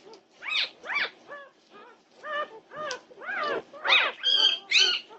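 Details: Norwegian Buhund puppies in an uproar at 2:30 am on June 8, 2021: a run of high, arching whines and yelps, each rising then falling, coming in quick bursts about twice a second with short gaps between.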